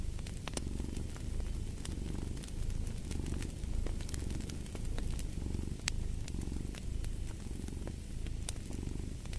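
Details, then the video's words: Cat purring steadily, a deep continuous rumble that rises and falls roughly once a second with its breathing, set against frequent snapping crackles from a fireplace. "Fall asleep to the Purring of a Cat"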